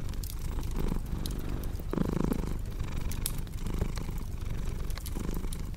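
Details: Low rumbling purr from a cat, pulsing in uneven breath cycles, with a brief brighter swell near the middle and bursts of fireplace crackling.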